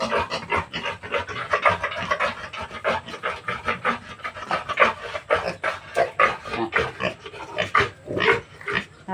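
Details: Native piglets about 30 days old, just separated from their sow for weaning, with the mother moved to the other side; rapid, rough, breathy grunts overlap several times a second, continuous and busy throughout.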